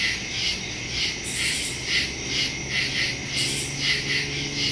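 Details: Crickets calling in the woods at night on September 2, 2023, taken with a Samsung Galaxy S22 Ultra and Shure MV88+ microphone; high, trilling chirps swell and fade in quick regular pulses, layered by many insects at once.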